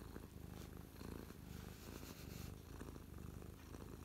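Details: Happy house cat Mia lying on her owner's lap, purring at close range on 12/12/2023; a dense low-pitched rumble with gentle rises and falls in loudness.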